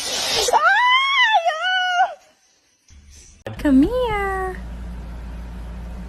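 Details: Kitten meowing in a funny-cat compilation: two drawn-out, arching meows, the first long and wavering, the second shorter with a rising start and falling tail, separated by a silent gap, with a noisy burst at the start.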